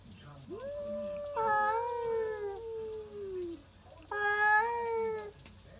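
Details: Two stray cats at midnight in a backyard, yowling a territorial duet: a long, wavering, drawn-out wail that slowly sinks in pitch, then after a short pause a second, louder, brighter howl that holds steady before fading.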